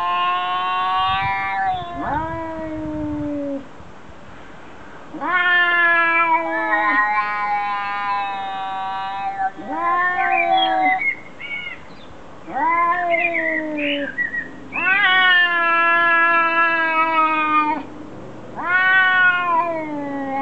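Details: Domestic cats talking to each other: a series of drawn-out, harmonic meows and moaning calls, some rising then falling, several trailing off, with short pauses between calls and faint background noise.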